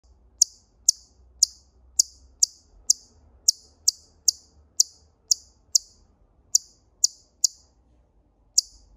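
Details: Siberian chipmunk giving sharp, high, clicky chips, about seventeen in nine seconds, repeated roughly every half second with one brief pause, over a quiet low background hum.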